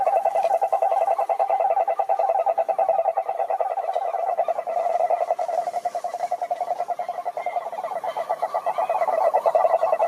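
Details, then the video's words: Several frogs calling together in a pond in nature: a dense, continuous chorus of rapid pulsed croaks packed into a steady mid-pitched band, overlapping voices forming a constant trill with harmonics above, no other clear sounds. "Sapos Cantando na Lagoa"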